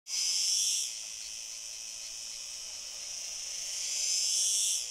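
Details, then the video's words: An unidentified male cicada sings near a female, possibly courtship, in Fondón, Andalucía, Spain, on 9-7-2022: a harsh, high buzz that swells loud, fades to a steady drone, then swells again. "Unknown cicada, singing male with female (courtship?)"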